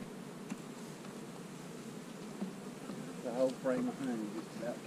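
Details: Honey bees droning as beekeepers split hives containing queen cells; a steady low hum for several seconds before a man's voice speaks over it.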